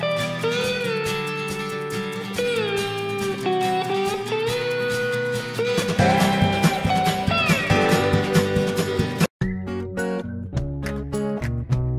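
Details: Guitar music with plucked and strummed strings fills the recording, with a brief dropout near the end and no animal voice.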